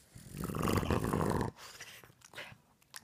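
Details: Sleeping Boston Terrier giving one loud, gravelly snore lasting over a second, a dense low rumble with a throaty rattle, then quieter breaths and faint room noise.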